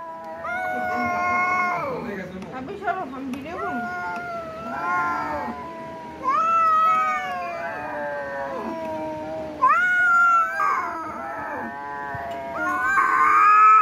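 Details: Domestic cat in a fight, giving long drawn-out wailing yowls that rise and fall in pitch, repeated in several bouts, with rustling and occasional voices behind.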